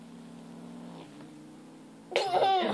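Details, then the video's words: Male kitten guarding his pink toy in 2014, growling with a low, even, drawn-out rumble for about two seconds, then cut off by a loud burst of nearby human sound. "Male Kitten Growling Over Toy"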